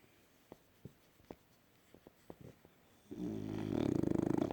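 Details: Sleeping French Bulldog indoors: a few soft clicking sniffs over three seconds, then a loud, rough, buzzing snore that swells and rattles steadily to the end.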